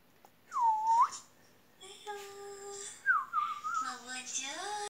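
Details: Three long-haired toy Chihuahua puppies whine in thin, tonal cries that dip and rise, followed by higher wavering squeals.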